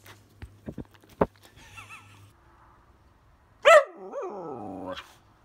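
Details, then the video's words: Pet whippet complaining and talking: a few soft clicks and a short whimper, then one loud sharp bark followed by a wavering, falling whine. "Whippet Whining, Complaining, Barking and Talking"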